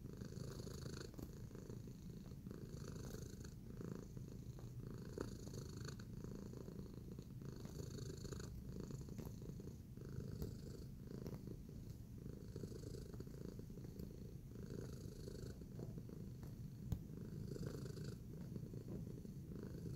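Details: Tacy the cat, kneading in a relaxed mood, purrs steadily for the whole stretch, a low even drone with occasional faint ticking and scratching noises.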